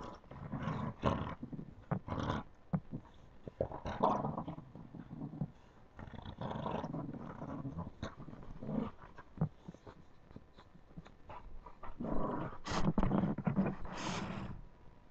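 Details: Puppies at play with low growls and rough roaring snarls in repeated bursts, mixed with sharp scuffling and clattering noises from tussling.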